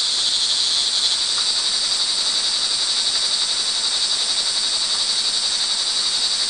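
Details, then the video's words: Crickets in the rain, early evening of June 24, 2011, at Montalban, Rizal, Philippines; a constant high, buzzy trill from many callers, slightly fluctuating, with a soft hiss underneath. "sound recording of crickets in the rain"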